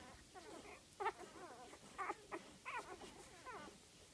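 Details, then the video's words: Five-day-old golden retriever puppies from a litter of eight born September 17 to Dainty's Flamboyant and Flexibelle du Bois de la Rayere, giving overlapping high, wavering squeaks and whines in quick bursts, loudest near one, two and 2.7 seconds. "Golden retriever puppies 5 days old."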